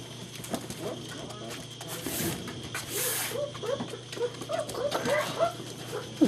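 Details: German Shepherd puppies, Vom Barron's Pride litter, romping and playing together, recorded 2-5-2012; brief rising yips and soft whimpers scattered through the play, with a woman speaking gently to the pups and bursts of scuffling movement.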